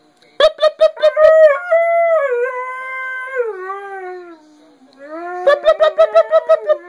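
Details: Part-husky dog howling at its owner, its way of talking: a pulsed yelping start, then a long sliding howl that slowly falls in pitch, ending with another rapid run of stuttering yelps.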